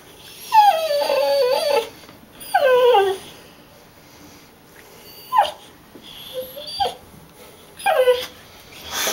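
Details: Impatient pet dog whining while waiting to leave for the dog park: several descending, wavering whimpers, two long ones then shorter ones spaced a few seconds apart, with a quiet indoor background.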